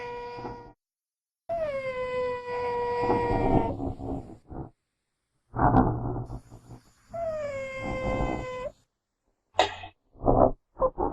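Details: Genet recorded in the wild uttering two long, clear, cat-like wails that fall then hold level, each trailing into harsh growling, followed by a sudden hissing spit and several short rough grunts.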